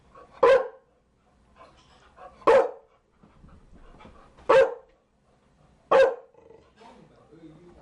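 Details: Chow Chow producing four loud single barks spaced roughly one and a half to two seconds apart, with faint low background sounds between them.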